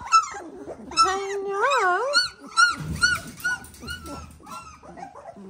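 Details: Eighteen-day-old Dalmatian puppies give clear, wavering whines, one long yodelling cry bending up and down, followed by several shorter arching squeals and softer whimpers as the litter fusses.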